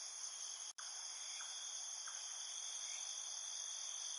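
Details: Field crickets at night in a field producing a constant high-pitched trilling chorus, briefly cut by a sharp dropout near the start, with faint lower chirps.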